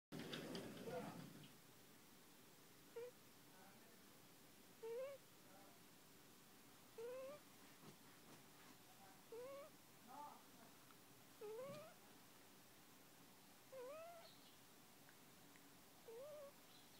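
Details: One-month-old puppy snoring while asleep: soft, squeaky, upward-sliding whistles with each breath, about every two seconds, eight in a row, over a quiet hiss, after a short rustle at the start.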